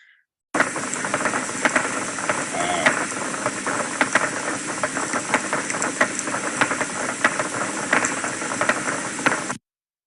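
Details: A sperm whale, the "carpenter fish" of old mariners, makes dry, hammer-like biosonar clicks and clacks in an irregular run. Steady underwater hiss and the crackle of snapping shrimp run beneath.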